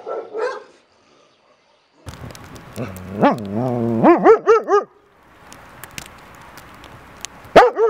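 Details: Dog whining and yelping in wavering, rising-and-falling pitched cries that climb into a run of quick wobbling yips, with a scuffling, noisy background and brief quiet gaps.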